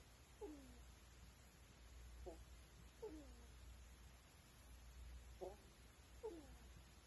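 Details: Pet ferrets snoring while asleep at night: soft squeaky puffs with short descending whistled tails, repeating about every one to two seconds over a steady indoor hiss.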